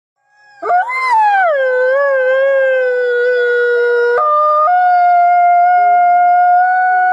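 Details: Arctic fox (Vulpes lagopus), cry.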